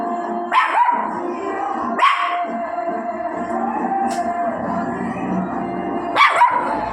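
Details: Dog barking outdoors, three sharp barks spaced irregularly over seven seconds, over steady background music.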